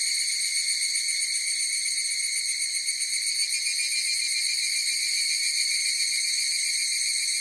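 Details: Higurashi cicadas singing together in a dense chorus, a continuous metallic high-pitched shimmer with faint wavering pulses and a constant level, with nothing else audible.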